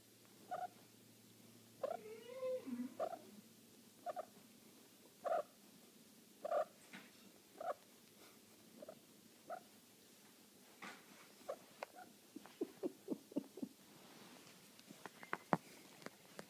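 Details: Cornish Rex cat in heat: scattered short chirping cries, one longer wavering, falling yowl early on, then quicker clusters of brief calls mixed with sharp clicks and tapping toward the end.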